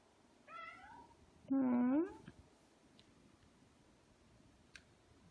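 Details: Ragdoll cat Aki, one of two pet Ragdolls aged two years eight months and two years four months, on a quiet weekend at home: a short rising meow, then a louder, longer wavering meow, followed by silence.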